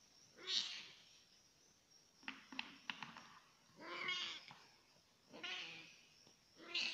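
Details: F1 leopard cat hybrid playing with its drinking water: four drawn-out, harmonic-rich meows spaced over several seconds, some rising then falling, with a quick run of sharp taps and clicks between the second and third calls.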